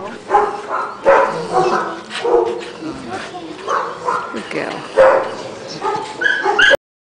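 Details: Female brindle and white Staffordshire Bull Terrier, three years old, excitable rescue dog awaiting adoption; short yelping barks and high whines repeat throughout, mixed with a woman's voice praising and correcting her.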